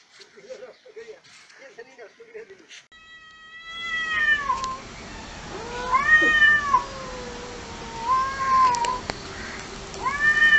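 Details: Cats in a fight: low muttered growls open, then a series of long, wavering yowls rise and fall, some drawn out and bending upward, over a steady background hiss.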